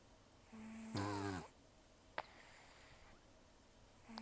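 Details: Rescued cat Taro, an estimated 10 to 14 years old with almost no teeth after gum disease and long outdoor life, snores heavily while sleeping: one rough, harmonic snore with a brief click and hiss in between.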